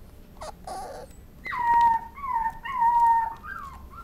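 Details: Dachshund whimpering: a brief scratchy yelp, then long drawn-out whining tones held fairly level, in three linked stretches with slight bends and a short rising tail at the end.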